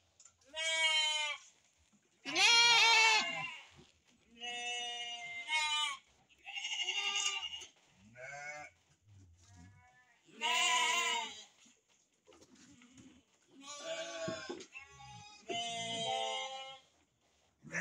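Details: Sheep at a breeding farm where ewes are kept with their lambs: a series of loud, wavering, quavering bleats, each lasting about a second, coming in bursts with short silent gaps between them. Several animals seem to call in turn.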